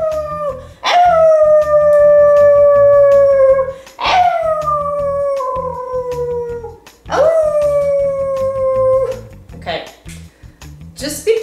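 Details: A pet basenji being taught to sing gives long, tuneful howls that start high and slide slowly downward, each about three seconds, in response to its owner imitating a basenji howl, with treats as a reward.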